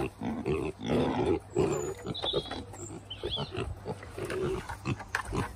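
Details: Kunekune pigs on a farm giving a run of soft, low grunts in short bursts, some doubled, with faint higher squeaky notes in the background.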